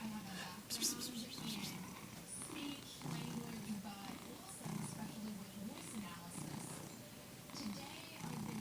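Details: Pet tomcat making odd purring and cackling sounds: rough low purr pulses rise and fall in uneven bursts, mixed with short crackly chatter and soft human speech in the room.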